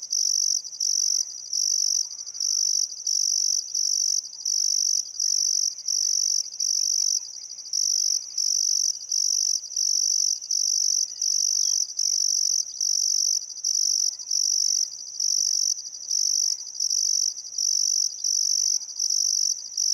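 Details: Crickets at sunset by the Barcoo River in Welford National Park, Outback Queensland, Australia, on a still summer afternoon: a high, bright chirping in pulsed bursts about once a second, steady throughout, with faint bird calls underneath.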